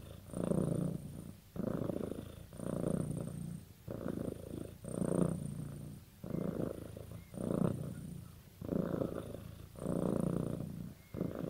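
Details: Pet cat bonded with its owner purrs continuously, deep throbbing pulses alternating in an even breathing rhythm about every second and a half, calm indoor setting.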